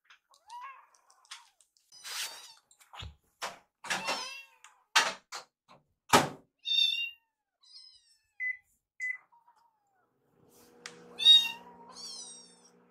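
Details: Two rescued kittens indoors, excitedly begging while food is prepared in the kitchen: a run of high, thin, rising mews and squeaky cries, with clattering thuds, a couple of short beeps, and a low hum near the end.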